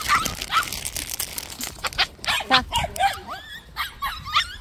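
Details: White puppies at a plum orchard give high, thin yelps and whimpers, short upward-sweeping cries repeated several times a second, with a person's voice talking in the background.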